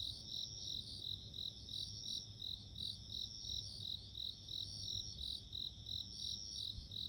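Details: Chorus of bell crickets, insects of nature, ringing in high clear pulses about three per second, with a continuous thin tone above and low soft rumble beneath.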